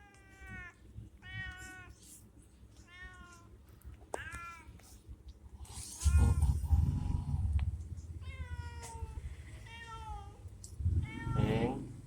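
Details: Cat at a warung, coaxed with food, giving repeated harmonic meows, about eight short rising-falling cries spaced roughly a second apart, with rustling and handling noise mid-clip.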